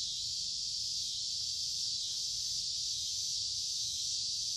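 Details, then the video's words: Cicadas in large numbers fill summer woodland beside a creek, warm and humid, with a continuous shrill hissing buzz that swells slightly and fades in slow waves, no other sounds standing out. "Walking along a Creek with lots of Noisy Cicada Insects Singing in Summer"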